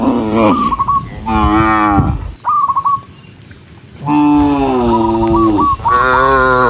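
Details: ['Tame cattle walking in a group through meadows at sunset, lowing to call dozens of others home; two moos, a pause, then long, steady, deep moos with a stuttering higher note above.']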